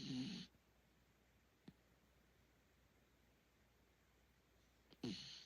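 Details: A miniature dachshund snores in the middle of the night, giving rough, rumbling breaths about five seconds apart in a quiet room.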